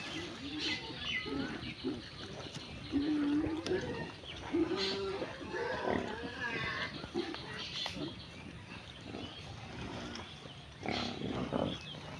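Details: Pigs grazing in village mud; low grunts and squeals come and go amid rustling, with birds chirping high above and faint voices in the background.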